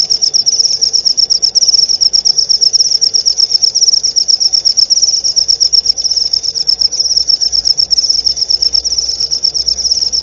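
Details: Unbroken, piercing cricket trill of rapid pulses holding one high pitch for the whole stretch, over a faint low rumble; meant as nightly tutoring material for white-rumped shama.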